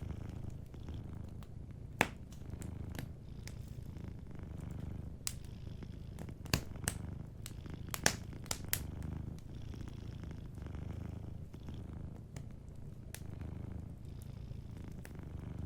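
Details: Sleeping cat purring softly by a warm fireplace: a steady low rumbling purr with gentle pulsing, overlaid by sharp, scattered fire crackles and pops.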